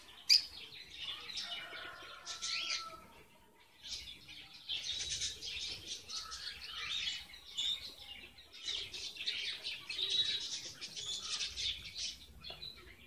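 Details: Strawberry finches, or red avadavats, kept in a cage while nest building in February 2017, male still lacking red feathers; thin high chirps and twitters come in bursts over thirteen seconds, with rustling between them.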